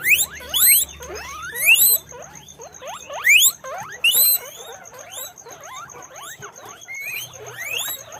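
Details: Guinea pigs on a guinea pig farm squeak in rapid, rising, overlapping bursts, several animals calling at once.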